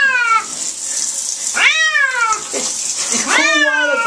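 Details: Pet cat in the bath giving three drawn-out complaining meows, the middle one loudest and downward-curving, with running water and a brief man's voice in between.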